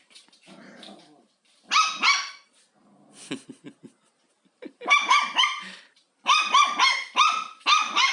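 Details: Indoor pet dog confronting a vacuum cleaner, both curious and afraid of it, giving rapid high-pitched barks in dense clusters separated by short pauses, with a few softer yips and faint rustling between bursts.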